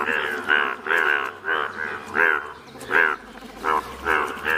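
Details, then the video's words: Indian bullfrogs, bright yellow, calling in Malkangiri, Odisha: loud, separate bleating croaks, each a short harmonic burst of under half a second, spaced irregularly about every half to one second. "Rare Yellow Frog's Wonderful Indian Bullfrogs Video ||Frog's Sounds"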